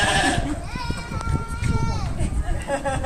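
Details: Sheep giving one drawn-out, wavering, nasal bleat lasting about a second, over steady low rumbling background noise.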